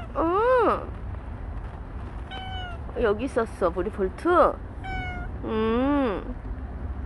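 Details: Final recording of Bolt, a stray cat who lived alongside people for seventeen months. Loud rising-then-falling meows alternate with quick clipped mews and one long drawn meow near the end, over a low rumbling background.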